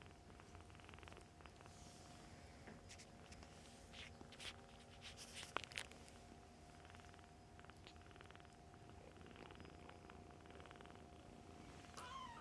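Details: Foster kitten litter of about eight with mother cat, nursing and playing indoors, Humane Society of North Texas; low rolling purr throughout, rustling and knocks of play, one loud thump mid-way, a brief squeak near the end.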